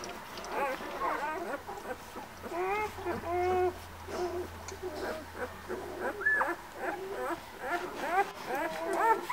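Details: White Swiss Shepherd puppies born 11 August at a breeding kennel, whining and whimpering in a chorus of overlapping high, wavering cries with short rising and falling squeals, a low steady hum beneath.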